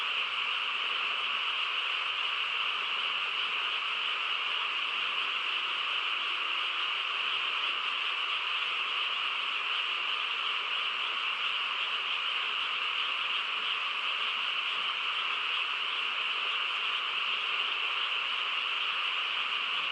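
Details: Night chorus of many frogs in a quiet rural setting: continuous, even, shimmering trills layered together without pause for the whole stretch, no other clear sounds standing out.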